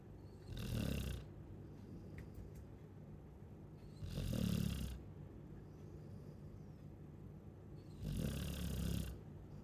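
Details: ['Chow Chow asleep and snoring: three rumbling, throaty snores spaced roughly every three and a half to four seconds, each swelling and fading, with faint hiss between them.']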